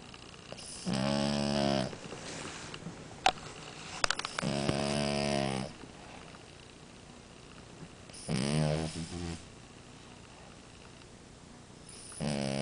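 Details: Amora, a French Bulldog, snores: rough, buzzy inhalation snores of about one second each, four of them repeating roughly every three to four seconds, with quiet breathing and a few small clicks between.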